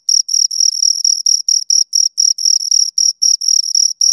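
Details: High, rasping cricket chirps from two insects, the pulses longer and slightly uneven here, some merging into drawn-out buzzes, repeated roughly four times a second against silence.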